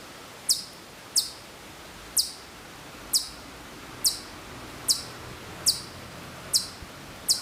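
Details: At Maruyama in Sapporo, September 2014, a distant Hokkaido chipmunk gives high, clipped chirps spaced roughly every three quarters of a second, slightly uneven, with quiet natural background noise.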